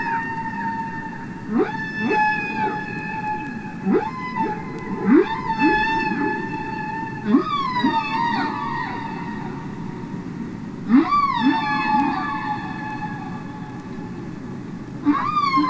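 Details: Humpback whale song underwater, real whales singing and communicating: repeated upswept whoops that jump sharply upward then hold a steady higher tone, roughly every one to three seconds, with quieter low moans between.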